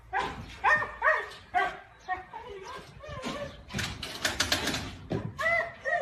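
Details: Husky puppies yipping and whining in quick, uneven bursts of tonal, wavering cries, broken midway by a loud burst of rough scuffling noise before the high whines return.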